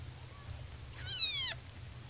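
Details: A single baby kitten, among happy yawning and stretching kitties, gives one loud, sharp, high mew that slides downward, preceded by a faint softer squeak, over a low steady hum.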